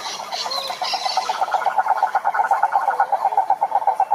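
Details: Wild cane toads (Rhinella marina) at a lake in Brazil's Atlantic Forest: a steady, fast pulsed trill of mid pitch runs throughout, with brief higher twittering from another animal in the first second and a half.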